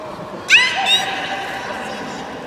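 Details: Beluga in the 16:30 public training session at Port of Nagoya Public Aquarium on 24 March 2018: a sudden sharp, rising whistled chirp with bright overtones, then a shorter second whistle fading into the steady murmur of the hall.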